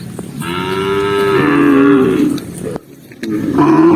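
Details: Tame cow within a massive herd moving across the countryside by day, giving one long, full moo that swells then slowly falls, followed after a brief pause by the start of another low call.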